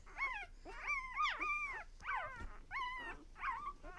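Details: Newborn puppies of one litter at one day old: thin, high whining squeals, arching up then sliding down, repeated in quick succession.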